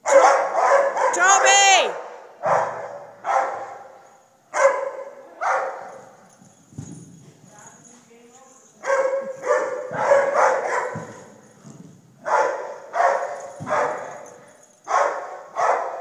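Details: Repeated loud barks from a dog in uneven bursts, with a human voice sliding upward near the start and people talking quietly in the pauses between barking runs.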